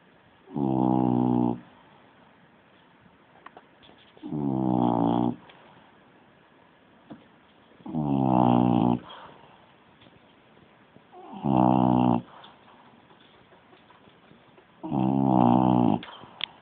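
A French bulldog snores in rough, rumbling breaths, each about a second long and repeated every three to four seconds.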